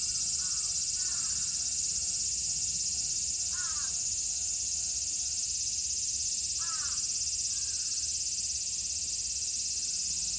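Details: In Japan in summer 2022, cicadas keep up a loud, constant, high-pitched buzzing wash. Several short, hoarse crow caws sound in the distance, spaced a few seconds apart.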